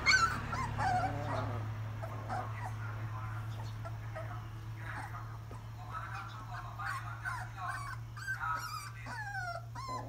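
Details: Puppies at feeding time, giving high, short whimpering yelps and whines that rise and fall, scattered irregularly through the clip over a steady low hum.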